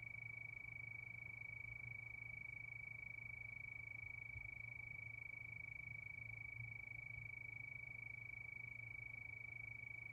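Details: Crickets at night under the moon, a steady chorus: one unbroken high shrill tone with a fast, even pulsing just above it, over a quiet low hum throughout.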